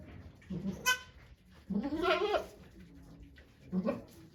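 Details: A goat bleats during Okayu's birthing of twin kids at Yoshigake Farm, Japan, 3 May 2023. There are three separate bleats, the middle one longer and wavering, with low human chatter between them.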